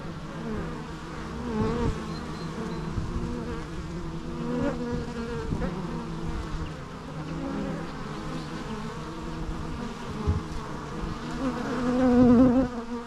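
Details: Continuous low buzzing of bees, a dense droning hum that wavers in pitch and grows louder toward the end as one insect seems to pass close by.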